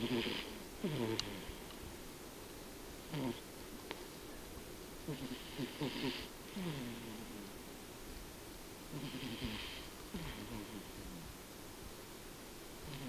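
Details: Sleeping cat Tobiko snores in slow, rough, breathy bursts, each drawn snore followed by a gap of a few seconds, repeating steadily over a constant hissing background.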